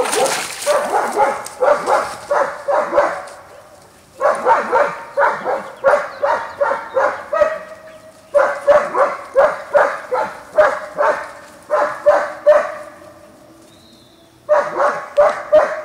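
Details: Young German Shepherds socializing with an older puppy at a kennel in Washington state: bursts of six to eight quick barks, separated by short breaks, keep repeating for about sixteen seconds.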